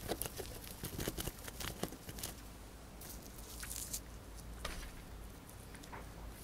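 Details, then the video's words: A pet hamster, a female, crunching dried corn quickly: dense crackling bites early, a brief hissing rustle midway, then sparser crisp clicks over a low steady hum. "My Hamster Eating a Dried Corn"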